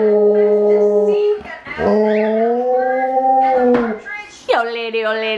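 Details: A 3-year-old Alaskan Malamute howls in long, mid-pitched, wavering notes, each held for a second or more, during children's story time.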